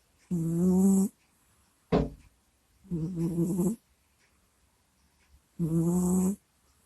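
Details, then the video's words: Kusya, a pet cat, snoring and groaning in its sleep close to a microphone indoors: rhythmic rasping snores nearly a second long roughly every two and a half seconds, with one short sharp snort between. "Прикольный Кот Куся Сопит, Храпит, Стонет и Кряхтит во Сне в Микрофон"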